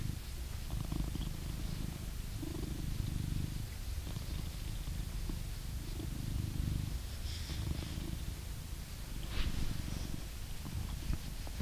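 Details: An adult blue British Shorthair cat in England purrs steadily while being brushed, a deep, rumbling throb that rises and falls with each breath.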